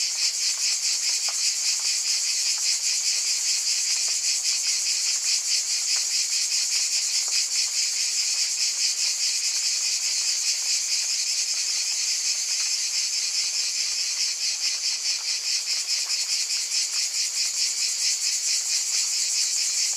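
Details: Unbroken cicada drone, shrill and layered in bright high bands, throbbing with fast regular pulses across twenty seconds at an even volume, no other sounds standing out.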